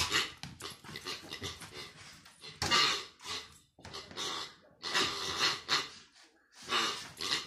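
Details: Kaos, a pet dog, plays indoors with his new pig toy, breathing in quick broadband pants and snorts that come in bursts of a second or two between short pauses, with rustling and thumps from the toy in a small room.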